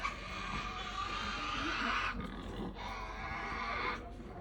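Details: Tasmanian devils giving a long, harsh, hissing screech lasting about two seconds, broken briefly, then resumed in a second rasping stretch. People murmur faintly underneath.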